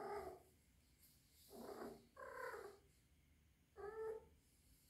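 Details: Young rescued female kitten, about three months old and suspected to be in heat, calling indoors: moaning, harmonic yowls in four bursts, each under a second, separated by quiet gaps.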